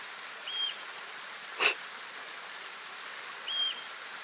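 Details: Yellow-bellied marmot, called the whistle pig, giving its high-pitched warning whistle to alert colony members of possible danger: two brief, flat, piercing whistles about three seconds apart, with a sharp click between them, over steady rushing stream-like hiss.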